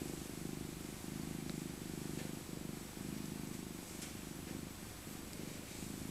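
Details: Elderly female tabby cat named Maca, a rescued former stray born in 2000, purring while cuddled in her soft winter coat; steady low rumbling throb in long phrases with brief pauses, light rustling above.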